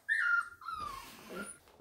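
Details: Four-week-old puppies, seen up close indoors with their parents nearby, give a thin high whine that slides downward over about a second, followed by softer rustling.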